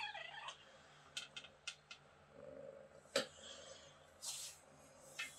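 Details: Mira, a young kitten found on vacation in Greece, gives her sweet beeping sounds: a quick harmonic chirp opens, then a soft, low murmuring beep midway, among rustling, tapping and clicks.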